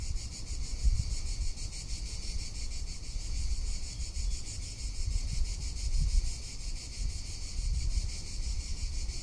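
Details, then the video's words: Summer cicada chorus in Tuscany, a continuous high-pitched rattling buzz made of rapid even pulses that never pauses, with gusty low wind noise rising and falling underneath. "Cicada or Cigarra - Sounds of summer in Tuscany"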